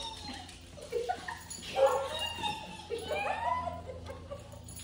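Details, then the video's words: Terrier mix dog reunited with its owner, giving excited high whines and yelping whimpers that rise and fall in pitch over a few seconds, with a brief human voice just before. "Owner Reunion | Terrier Mix"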